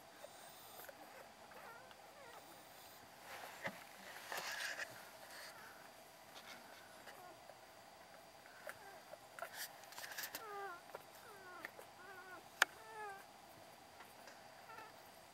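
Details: Five-day-old Beagle puppies, a litter of three boys and three girls, October 29; quiet room tone, then a run of thin curved squeaks in quick succession late on, ending with a sharp click.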